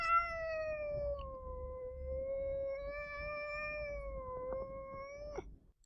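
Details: A female domestic cat howls, a long, steady howl whose vowel shifts as she opens and closes her mouth; howling marks discomfort and worry, often in territorial situations.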